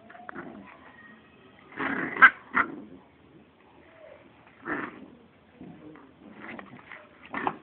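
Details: Small American Pit Bull Terrier Terra growls at Gabi, another pit bull, during play indoors; brief rough growl bursts and yips come in irregular clusters with quiet breaks between.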